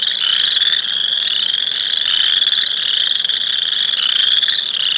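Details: Chorus of Boreal Chorus Frog, a species best told from the look-alike Western Chorus Frog by voice: loud, continuous high-pitched pulsing trills overlapping throughout, with faint swells roughly every second and no pauses.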